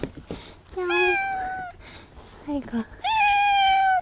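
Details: Welcoming campsite cat on a remote island in Korea, calling again and again to a newly arrived camper. Two clear, long, level meows with a short chirping sound between them, and quiet human talk.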